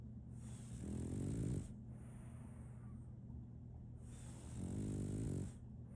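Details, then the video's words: Snoring of Solaimy, a French Bulldog puppy, while she sleeps: two drawn-out, buzzing snores about four seconds apart, each swelling and fading, over a continuous low electrical-like hum. "RONQUIDO de un French Bulldog"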